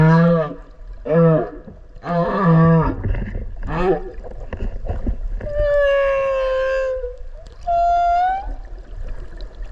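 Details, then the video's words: Whale recorded close by underwater off Okinawa: a run of short deep grunting pulses in quick succession, followed by a long falling tonal moan and a shorter rising whistle-like note. "クジラの鳴き声 〜海の中の神秘のメロディ〜"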